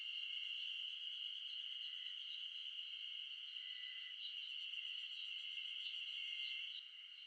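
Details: A chorus of Ezo spring cicadas in Japan's Shin'etsu highlands in mid-June, so loud it drowns out birdsong. The high, shimmering drone holds steady, then drops slightly in volume just before the end.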